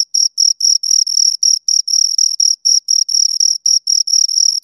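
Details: Two crickets trilling in bursts of bright, piercing chirps, roughly four pulses a second with short gaps, steady in pitch and loud, nothing else audible.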